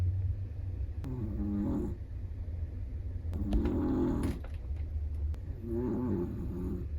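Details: Soft, throaty snores from a sleeping Chihuahua come in three short rasping breaths with a faint tonal whine, roughly every two and a half seconds, over a constant low background rumble.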